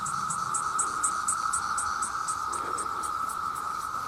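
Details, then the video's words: Countless male cicadas droning to attract mates: a constant high whine underlies a separate thin, high chirp pulsing about four times a second. "The Sound of The Cicada"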